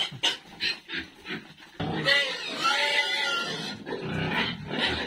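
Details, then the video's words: Pigs feeding at a pig farm give short snorting grunts, then a sustained, harsh, squeal-like cry that runs for several seconds. "eating pig asmr"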